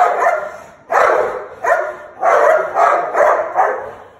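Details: American Pit Bull Terrier snarling, September 27, 2019, giving about six rough, throaty bursts, each swelling then fading, roughly every half second.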